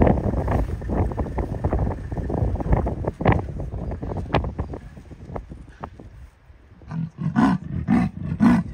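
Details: Female leopard on territorial patrol, vocalising: a run of low, rasping, rapidly repeated grunting pulses in the first few seconds, then quieter scattered clicks and rustles, with low engine-like rumble underneath.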